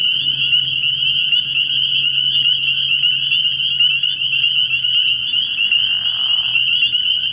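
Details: Spring peepers calling from a frog pond at night early in the year: a dense chorus of shrill, high peeps fused into one steady ringing band, with a brief lower buzzy sound near the sixth second.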